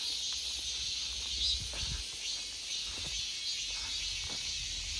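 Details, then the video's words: In an August forest, many cicadas produce a steady, piercing buzz, over a few soft low thumps and rustles near the start. "August Forest Full of Cicada Sounds 매미 소리 가득한 8월의 숲"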